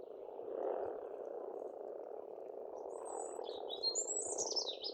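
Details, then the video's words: Frogs calling in spring at a pond on a farmstead in Estonia, a dense continuous croaking chorus filling the low-mid range, with high thin bird whistles and trills joining in the second half. "Расслабляющее пение птиц и лягушек, весна, природа."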